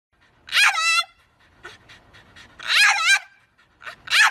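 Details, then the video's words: Dog making talking-style vocal sounds: drawn-out, wavering whines that rise and fall with strong overtones, in three separate phrases with short gaps. "Suprise Funny Talking Dogs"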